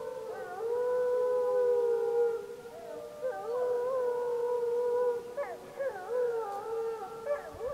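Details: A gray wolf of the Snake River pack howls at Summit Ridge, Wallowa County, on 25 July 2012 as pack members answer a pup. It holds a long, steady tone, then a second howl wavers, ending in short broken yips and quavers.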